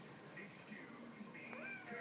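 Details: Chatty domestic kitten meowing indoors: a short, rising, tonal meow that levels off near the end, with a woman talking softly to it before and after, offering to sit with it while it eats.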